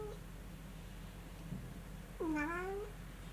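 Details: Munchkin cat in Kyushu, playing excitedly in fresh snow seen for the first time; a brief faint mew at the start, then one clear meow rising and stretching out for under a second, with low background hum.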